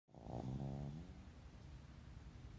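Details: Sleeping pug snoring indoors: one long rough, buzzy in-breath snore with a low harmonic drone, fading into quiet breathing.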